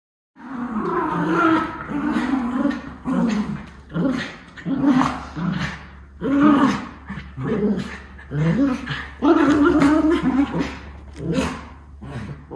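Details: Two white Miniature Schnauzer brothers playing in a burst of energy in Aroostook County, Maine, October 2021: rough, throaty growls and grumbles in repeated bursts of about one second, with short gaps and scuffling between them.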